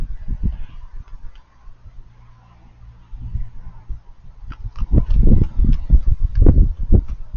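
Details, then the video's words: Raccoon eating noises: a few scattered chews and a quieter stretch, then loud, rapid crunching and smacking from about the fifth second onward. "Raccoons Eating & Being Cute - Cute Lil Crunchy Noises While It Eats"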